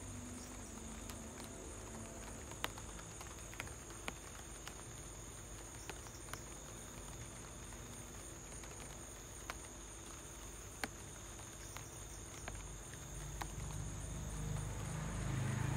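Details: Crickets outside a home during light rain, a steady high-pitched continuous trill with faint rapid pulsing running throughout, scattered sharp raindrop ticks and a low rumbling hum underneath.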